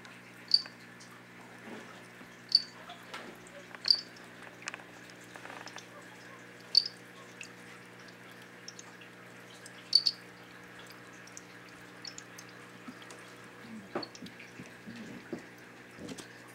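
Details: Golden mantella males competing for a female, their call likened to a cricket's chirping; sharp, very high clicks repeat at irregular gaps of one to three seconds over a steady low hum and faint scattered ticks.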